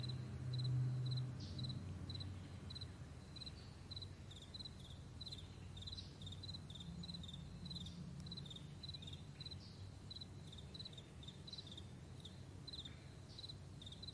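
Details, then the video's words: Meadow crickets at morning chirping rapidly and fairly steadily, about four short high pulsed chirps per second, over a persistent deep rumbling hum like distant traffic or aircraft. "Morning Crickets"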